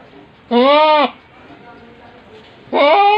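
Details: Large-breed pet goat calling twice, each a loud, steady, wavering bleat of about half a second, rich in overtones, separated by roughly two seconds of low background murmur.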